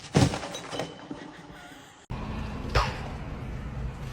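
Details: Sharp knocks and a breaking, thudding crash sound over an indoor hum, with an abrupt cut midway and no animal voice.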